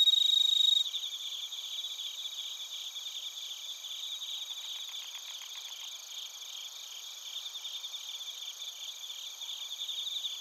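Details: Crickets, including bell crickets, in Narita, Chiba Prefecture, Japan, captured on a TASCAM Portacapture X8: continuous high pulsing trills layered together, with a short lower buzzing burst midway and a steady ringing tone.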